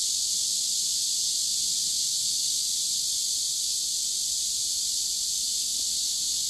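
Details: Riverside cicadas in warm summer, dated 23.7.15, producing an unbroken shrill buzzing drone that holds level throughout, with no other clear sounds.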